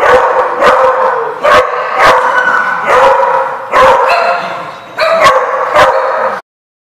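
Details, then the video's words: Dogs in a lot bark repeatedly, loud overlapping barks about every half second in a noisy, crowded chorus, ending abruptly. "The Barking Lot"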